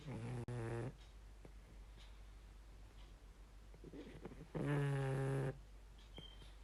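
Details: Sleeping pug snoring indoors: two loud drawn-out rasping snores, one at the start and another near the fifth second, separated by quieter breathing.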